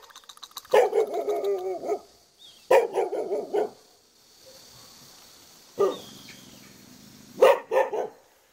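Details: Jindo dog kept in the front yard of a traditional hanok house in Jeonju Hanok Village, North Jeolla Province, South Korea, giving loud runs of rapid barks, then shorter bursts and a few single barks with short silences between.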